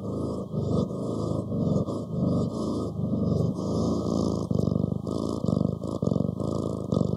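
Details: Cat purring, a continuous low rumbling throb pulsing in rapid bursts, swelling and easing in short breathing cycles of under half a second.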